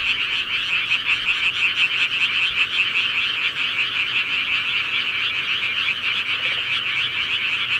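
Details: Countryside frogs at night form a thick, steady wall of high rapid croaking trills, many callers overlapping without pause.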